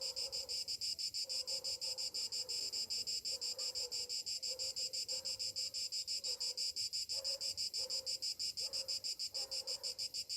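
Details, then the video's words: Cicadas singing on a summer morning: a dense, shrill, buzzing drone pulsing about three times per second, with soft lower chirps underneath at irregular intervals. "Morning summer cicadas sounds"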